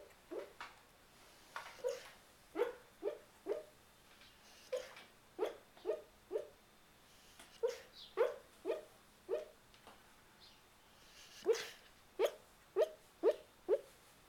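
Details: Sleeping Boxer dog dreaming, talking in his sleep with a long run of soft, stifled yips and muffled woofs, fairly evenly spaced about twice a second with brief pauses, indoors with no other sounds.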